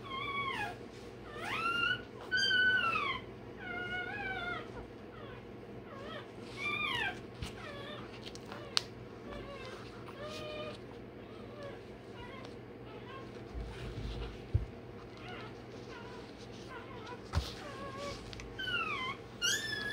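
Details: Day-old Rottweiler puppy crying while having its tail and dewclaws done: high, wavering squeals in short bursts, some rising then falling, repeated irregularly over a steady low hum.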